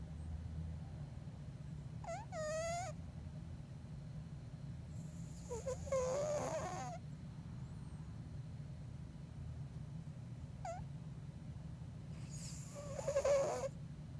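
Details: Bengal cat Elton snoring in deep sleep, with a continuous low droning breath and occasional high, quavering squeaks and wheezy bursts spaced several seconds apart.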